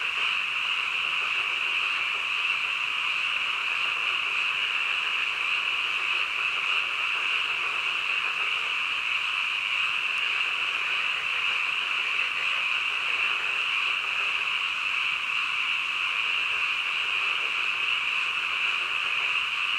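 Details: A long, unchanging midnight chorus of frogs: countless voices fused into one persistent shrill drone, with faint rippling texture but no separate calls or other noises.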